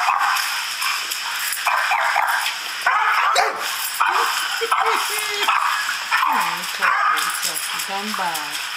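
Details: Male Doberman barking at a recording of himself barking at other dogs: short yelping barks and whining tones with rising and falling pitch, over a steady background hiss and a person speaking.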